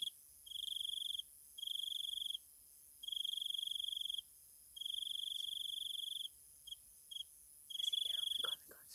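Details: Insects singing at night in Thailand: a bright high trill in pulsed bursts of about one second with short silences between. Near the end, brief downward sweeping sounds join in over a faint high hum.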